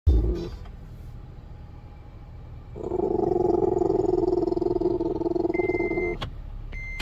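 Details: A Boston Terrier growling at deer gives a sustained, throaty growl that rumbles steadily for several seconds.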